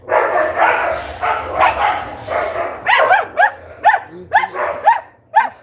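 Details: Pet dachshund, one of three dogs in a home, barking in the background, said to act like the boss; a rapid run of sharp, arched barks repeating about twice a second after a man's speech.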